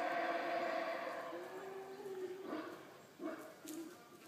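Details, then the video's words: Howler monkeys calling near the visitor center at Xunantunich in Belize: a long low roaring chorus that fades, then short grunting bursts. "Howler Monkeys - Belize"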